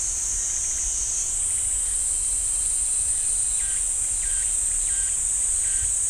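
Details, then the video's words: Pine-forest cicadas at Ssanggyesa temple in Jirisan National Park keep up a steady high buzzing whine that shifts slightly in pitch early on; midway, lower chirping notes begin repeating roughly twice a second. "지리산 쌍계사 소나무 숲 매미 소리"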